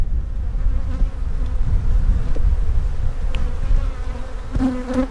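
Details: Dense droning of honey bees while two hives are inspected for queen cells; an even, loud buzz with a low steady pitch and overtones, a short sharper buzz near the end, and rumbling handling noise underneath.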